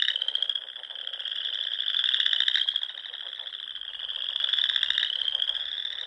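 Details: Frogs singing in spring at dusk among the pond-dotted dunes of Nebraska's Sandhills: a dense, unbroken high trill, swelling into louder pulsed bursts around two and five seconds.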